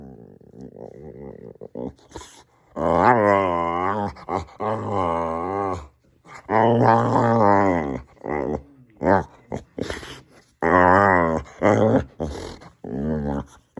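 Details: Samson the Boxer dog indoors in a small room making funny sounds: long harmonic groaning growls rising and falling in pitch, several drawn-out bursts separated by short pauses, with a few shorter grumbles.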